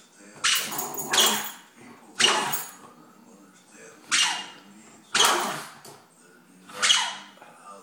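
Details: Female Jack Russell Terrier barking at a cat outside, squeaky toy held in her mouth; a series of six muffled, harsh barks, some in quick doubles, spaced about a second apart, with faint human speech.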